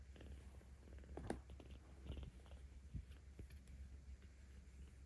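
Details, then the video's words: Aochan, a kitten 17 days old looked after by cat volunteers in Tama City, Tokyo, filmed 10 October 2022, purring while petted; a low, even rumble underlies a few soft taps and brushing sounds. "なでるとゴロゴロ音がUPする赤ちゃん猫 生後17日"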